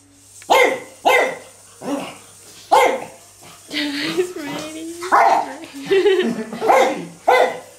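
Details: Pug barking at an electric toy bug: a run of sharp, short barks spaced roughly half a second to a second apart, with a stretch of wavering, whiny tones in the middle and a steady low hum throughout.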